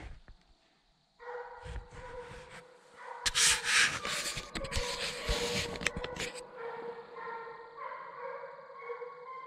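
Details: During a 2020 coon hunt, young Redbone Coonhounds keep up steady, resonant baying; a burst of loud rustling and scraping noise overlays the howls midway before the dogs carry on alone.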